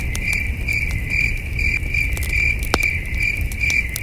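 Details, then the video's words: Night crickets heard from a camping site beneath a starry sky: a thin, high chirp repeating rapidly and regularly, mixed with crisp campfire pops and a gentle low breeze. "Soothing Cricket Sounds"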